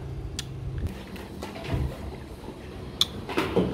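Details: Indoor room sounds: scattered knocks, clicks and faint handling noises over a low background hum, with no animal voice.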